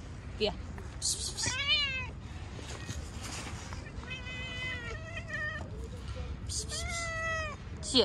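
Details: Several cute cats met outdoors, meowing: three drawn-out, harmonic meows, the first falling, the others steady and slightly bending, spaced a few seconds apart, with people talking quietly and faint street background.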